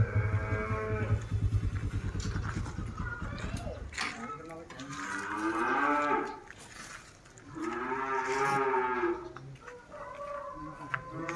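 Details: Tame cattle at a farm in Mangunsari, Indonesia, lowing in long drawn-out moos with rich harmonics, two broad calls swelling and fading across the stretch, preceded by a rapid low pulsing rumble.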